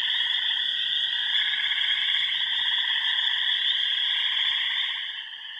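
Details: Frogs calling in remote ponds of the Yellow Dog Plains, Upper Michigan: a dense, continuous pulsed trilling chorus with a steady high shrill band and overlapping lower trills, fading slightly near the end.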